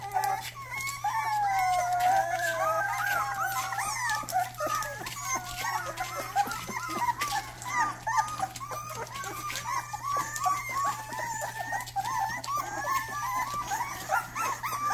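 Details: First barks from a young Rottweiler: a long, unbroken series of thin, high yelps and yips with whining, wavering tones, about every third of a second, indoors with a constant low hum underneath.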